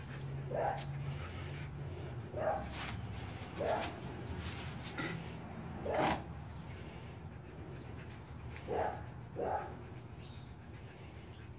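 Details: Playtime between two dogs, Kodi and small Shiva, meeting for the first time: six or seven quick, high yaps spaced unevenly across the stretch, some paired closely, over a low hum and scattered thin bird chirps.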